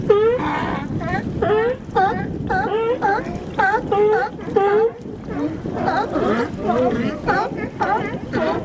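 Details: Sea lions barking up close at Nanaimo, British Columbia: a steady run of harsh, honking barks roughly every half second, later joined by overlapping barks from several more animals in a busy, noisy chorus.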